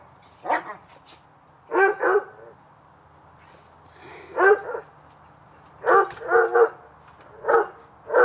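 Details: Hubert and Woody, two dogs playing in a backyard on a summer afternoon, give short harmonic barks in clusters of one to three, with quiet gaps between the bursts.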